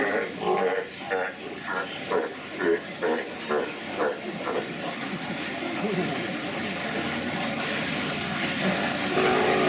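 Sea lions make short, raspy, sputtering bursts that sound much like flatulence, repeated about twice a second for several seconds. A continuous hissing rush, like steam or a passing vehicle, fills the rest.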